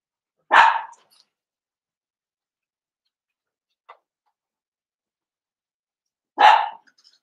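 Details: Blenheim Cavalier King Charles Spaniel puppies, seven weeks old, in a home puppy pen: two single sharp, bright barks about six seconds apart, with near silence and one faint yip between them.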